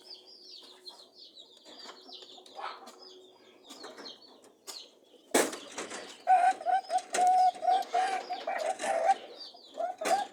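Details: Mating rabbits: after faint high squeaks, a loud rustling burst gives way to a quick series of short, even-pitched honking hums mixed with scuffling and thumping.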